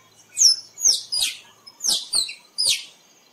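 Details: Squirrel calling, used to lure squirrels for photography: six sharp, high, harsh chirps, each sliding steeply downward, given singly and in pairs over about three seconds against a quiet background.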